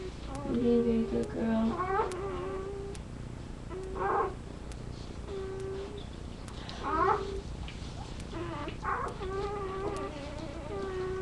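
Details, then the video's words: Labrador retriever puppies on a live puppy cam, whining repeatedly in steady, drawn-out nasal tones. Some cries rise or waver, coming every second or two, with faint human voices in the room. "Puppies Making Noise"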